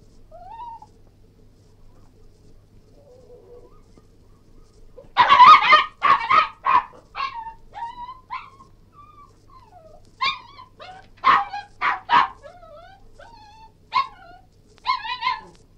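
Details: Cairn Terrier giving soft whines, then bursts of rapid yelping barks in quick clusters, mixed with high wavering whimpers between the volleys.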